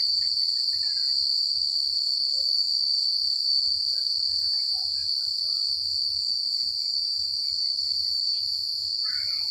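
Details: Night chorus of crickets in a quiet rural setting, one continuous shrill ringing pulse without pause, with a few faint lower chirps and a soft low rumble underneath.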